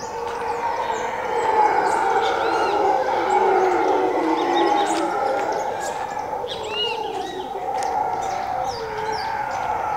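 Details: A troop of howler monkeys at dawn around 5:30 am in jungle on the edge of Zancudo, Costa Rica, roaring in a continuous layered droning chorus, with higher bird chirps scattered over it.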